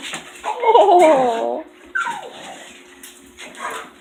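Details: A pet dog left alone in the house after the other two dogs leave, giving a wavering, warbling whine for about a second, then a short falling yelp and softer whimpers trailing off, with faint background hiss.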